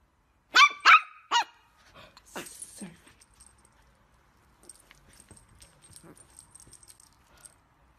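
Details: Chihuahua barking: three sharp, high yapping barks in quick succession near the start, one fainter bark after, then quiet rustling and a high steady hum.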